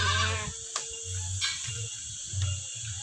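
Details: Etawah goat on a farm run by a woman, heard in its pen: one short, wavering, harmonic-rich bleat opens the moment, then low rumbling, thumps and faint clicks fill the rest.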